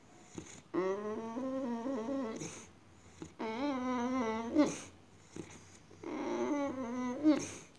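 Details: Indoors, a female Boxer dog acting strange utters three prolonged, wavering whines, each lasting about one and a half to two seconds, rising and dipping in pitch like vocal 'talking', separated by brief pauses.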